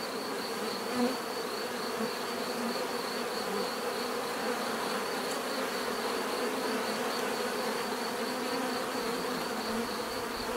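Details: Natural buzzing of bees: a constant thick drone layered with overlapping wingbeat tones, steady in loudness, one brief louder pass near the first second.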